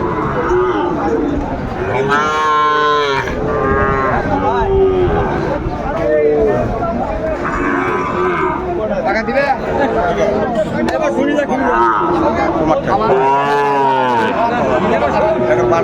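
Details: Sahiwal bull calves at a busy cattle market in Sylhet, Bangladesh, on 29 June 2024, being bought by farmers; two loud, drawn-out harmonic moos near the start and end, with crowd chatter and voices throughout.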